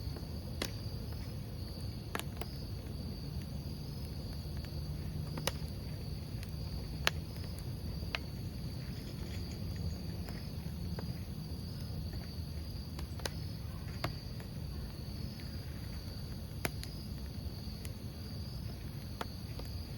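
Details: A continuous high, even cricket trill holds steady for the whole stretch near a campfire, with scattered sharp pops and snaps of burning logs every few seconds and a constant low roar of the flames underneath.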